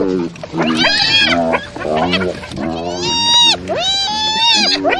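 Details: Hyena giving strange calls: loud harmonic cries that sweep up and then level off, with overlapping lower groaning notes. The callers alternate in quick succession over about five seconds.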